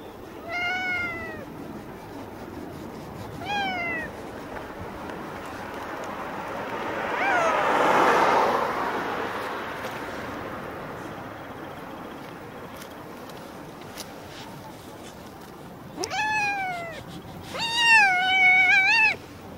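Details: Mustached tuxedo stray cat meowing while being brushed and groomed: two short meows near the start, a long gap filled with rustling and hum, then a quick pair of meows near the end, the last strongest.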